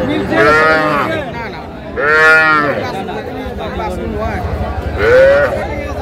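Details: Young cattle, small bulls and heifer calves, at a Narsingdi market in Bangladesh on 7 April 2025, lowing three times in long, rich, wavering moos about two to three seconds apart amid chatter and bargaining voices.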